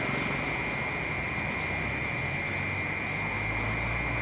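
A cicada holds a steady, unbroken high drone over a low hum of city traffic.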